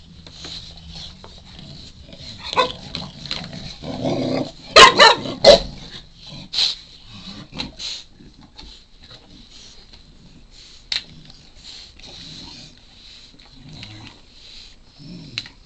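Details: Wylie, a 4-month-old Shar Pei puppy, makes grumbling whines and short yips, pestering for a chew treat.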